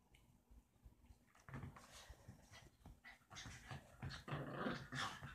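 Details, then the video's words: Indoors, Roxie the deer-head chihuahua tries to coax Reese the Dorkie into play, giving repeated low growls and snorting bursts that grow louder and busier toward the end. "Roxie, my deer-head chihuahua, trying to get Reese, my Dorkie, to play...lol"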